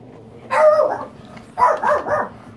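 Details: Miniature Pinscher kept as a pet, giving two short bursts of yappy, high barking, the second split into quick yips, with faint background noise and people talking just before and after.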